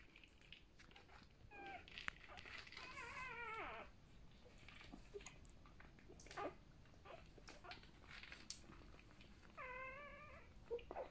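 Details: Newborn Golden Retriever puppies, part of a first litter of seven (three females, four males) born indoors between about 5 pm and 8 pm; thin, whiny squeals with wavering harmonics come in two short bursts, with faint human speech and shuffling.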